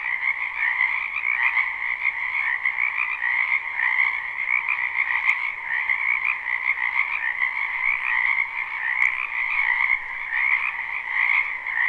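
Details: Frogs croaking in a spring wetland behind a house, recorded live at night with no looping; a dense continuous chorus of pulsing trills in two bands, mid and high, steady throughout with occasional faint clicks.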